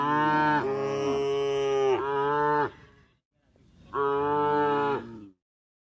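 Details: A tame cow moos long and richly while being herded toward the livestock pen from a field at the forest edge. The first moo is drawn out in two parts, and a second follows after a pause.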